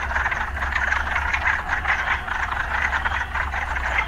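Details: Frogs calling in an urban setting, a dense pulsing chorus of croaks in the mid range, continuous throughout, over a steady low hum of city traffic.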